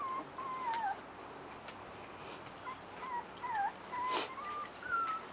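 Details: Rottweiler puppies, 4.5 weeks old, outside for the first time, giving soft, thin whimpers that bend and slide near one pitch, scattered in short repeated bursts over a quiet background.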